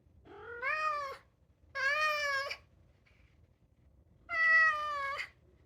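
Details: Two-year-old European polydactyl Maine Coon cat singing and meowing inside: three long, fairly level, rich meows of nearly a second each, the last the loudest, with quiet gaps between.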